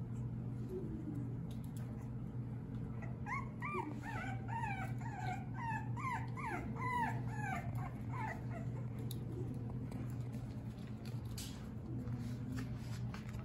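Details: French Bulldog puppies from one litter at play indoors: a rapid series of high, wavering whines and yelps in the middle, over a steady low electrical hum, with scuffling and thumps.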